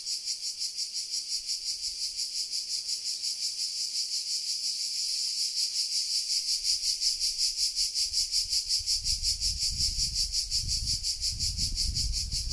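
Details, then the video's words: Midday cicadas in Sardinia, 13:00 in July 2020: a continuous high buzzing that pulses about three times a second, growing slightly louder, with low rumbling noise rising in the second half. "Sardegna - estate 2020 - Cicale"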